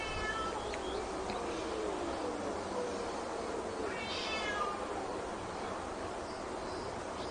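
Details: Domestic cats and kittens fighting: two short wavering meows with stacked harmonics, one near the start and one about four seconds in, over a steady broad hiss.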